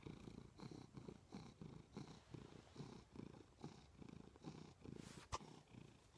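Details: Pet cat Milo lying beside its owner in bed, purring loudly: deep, throbbing rumble rising and falling with each breath, plus one sharp click near the end.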